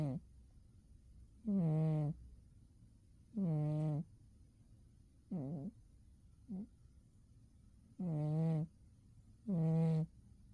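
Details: Umi the cat snoring while asleep in winter, low droning snore pulses, some long and some clipped short, coming at an uneven pace with a brief faint murmur among them.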